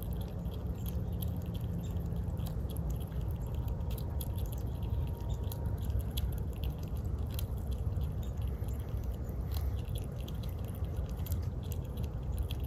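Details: Walnut-eating squirrel Hazel at her winter snack: continuous rapid crunching and small cracking clicks, close and muffled, over a soft steady hum.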